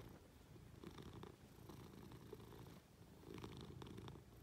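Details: A Munchkin cat, affectionate and clambering onto its owner lying in bed, purrs in a continuous low vibrating rumble with soft rhythmic pulses, accompanied by light rustles of fabric.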